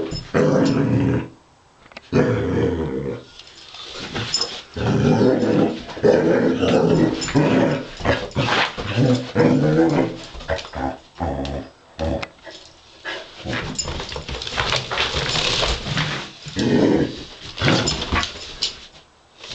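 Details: A Basset Hound playfully fighting a robot dog growls and yips in bursts, with low rumbling grumbles between higher barks.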